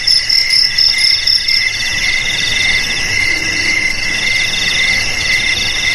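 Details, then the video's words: Crickets (jangkrik) meant to repel rats: loud high stuttering pulses for the first two seconds, then a softer continuous shrill trill with even lower chirps carrying on to the end. "Suara JANGKRIK"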